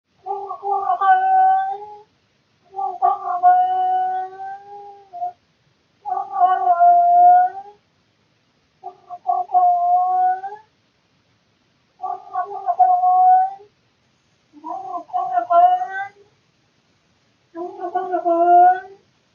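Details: Domestic cat named Claus calling out of boredom in the middle of the night, recorded by a surveillance camera indoors; drawn-out, wavering, harmonic yowls, seven of them, each lasting one to two seconds with short pauses between.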